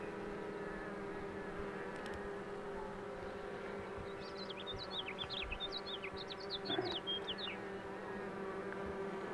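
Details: A steady, even drone from honey bees during the pulling of a queen box, the layered hum unbroken; a burst of quick high bird chirps runs through the middle of the recording.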